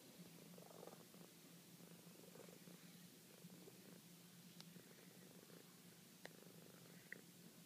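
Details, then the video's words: Domestic cat purring contentedly while being shown at her sweetest, a soft, steady low rumble with a gently pulsing texture throughout, a few faint clicks and small rustles over it indoors. "Franny Purr"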